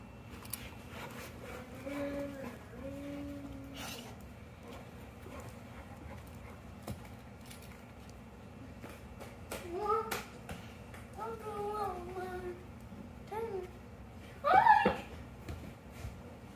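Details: English Mastiff puppy named Beefcake play-fighting with his older sister dog: drawn-out whiny grumbles early on, then a run of short falling yips and whines, with a person speaking between the sounds.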